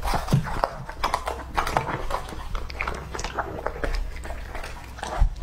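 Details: Two-and-a-half-year-old English-type Labrador Retriever male eating a whole squab among raw foods, intermittent crunching and wet chewing bites with brief clicks, quieter between bites, a loud thump near the end.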